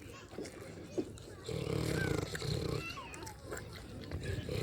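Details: Pig on a farm while eating and snoring: one dense, low, pulsing grunt lasts about a second and a half, followed by short chirpy whistled slides and soft scattered grunts.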